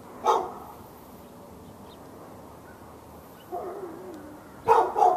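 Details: Backyard dog in Raleigh, North Carolina, barking nonstop on February 15, 2012, at the neighbouring dog: one bark, a quiet gap with a soft whine-like sound, then a closing double bark.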